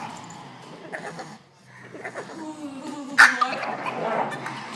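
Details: Frustrated male Boston Terrier, shut out from playing with other dogs, makes strained whimpering and moaning sounds, with a sharp knock partway through.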